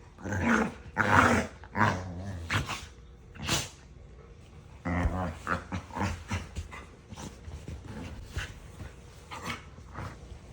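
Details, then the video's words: A dog couple squabble playfully nose-to-nose, trading yaps and love bites in a daily mock argument; a rapid, irregular run of sharp barks and growly yaps, loudest early, then a quicker, softer string of yips. "Dog Husband & Wife Have A Serious Argument Yapping At Each Other Everyday"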